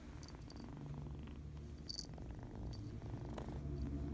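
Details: Contented, playful young cat purring, a deep low-pitched vibration that grows slightly louder over a few seconds, with a few brief high clicks and squeaks on top.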